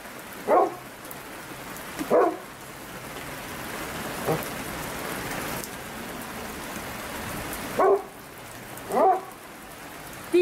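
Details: Golden Retriever (Canis familiaris), whining barks: asking to go for a walk.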